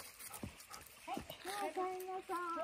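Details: Golden Retriever, Kohaku or Ibuki, walking with visiting friends on the afternoon of the 29th; rustling and footsteps give way to a series of steady, nasal whines held about half a second each, while people chat in the background.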